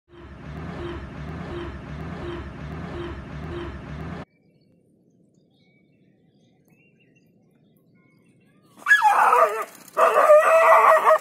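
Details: In Jhalana, a dog is surprised by a leopard, wakes from a short nap and drives it off with loud, harsh barks in two bursts until the leopard slinks into the undergrowth. A musical intro comes first.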